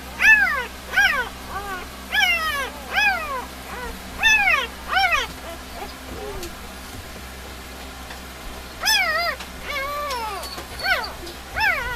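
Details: Sleeping three-day-old puppies from Molly's litter squeal while dreaming: bursts of short, thin, downward-curving cries in quick series, a quiet pause in the middle, then more squeaks, over faint background hum.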